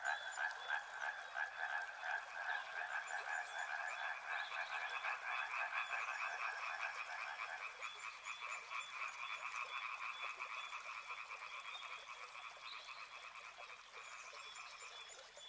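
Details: Frogs calling for a relaxation and sleep recording, a dense chorus of rapid pulsed croaks at about three per second, layered mid-pitched trills, with a brief high steady tone partway through; no river sound clearly apart.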